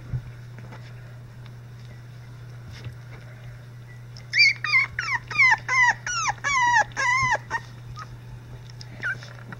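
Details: Three-week-old Icelandic Sheepdog puppies whimpering: after a quiet start, a run of about ten squeaky, arched whines rising then falling, closely spaced over roughly three seconds, with a steady low hum underneath.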